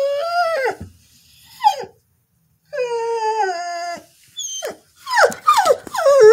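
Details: A female Border Collie sings for no known reason. A long, wavering howl is followed by a falling glide, then a steady, held tone, and finally a burst of quick, yelping slides that drop in pitch.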